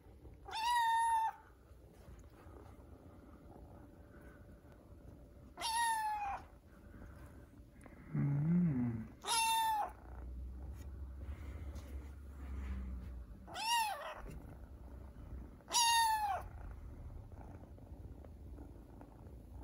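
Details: A kitten that wants to get down from a cat tower gives thin, high-pitched meows, spaced a few seconds apart, asking for help.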